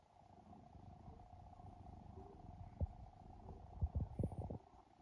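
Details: A rescued adult cat in Japan purrs and snores while asleep, a low even rumbling drone broken by a burst of soft clicks and taps toward the end, steady faint hum behind.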